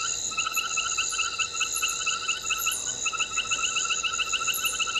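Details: Nighttime frog at Gowrie dam, Djuma Game Reserve, Sabi Sand Wildtuin, South Africa, 21:05 on 22 November 2019, from a live waterhole camera: quieter bursts of quick pulsed notes over a steady high insect drone.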